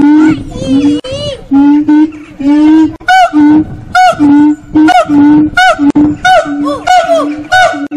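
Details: Monkeys at Fota Wildlife Park, Cork, Ireland, sing in chorus: strong, level hoots alternate with higher swooping whoops that rise and fall, in quick, uneven bursts, loud and clear.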